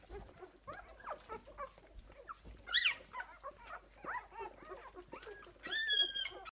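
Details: Esmée's litter of six-day-old puppies: a busy chorus of short, squeaky whimpers and rising whines overlapping throughout, with a sharp high squeal near the three-second mark and a louder drawn-out whine close to the end.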